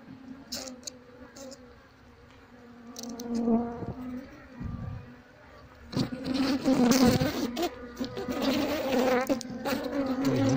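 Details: Honey bee colony being moved into a cardboard hive box as the queen is searched for inside a room; a steady low droning buzz, rising into a louder, denser swarm hum after about six seconds, with scattered clicks and handling noise.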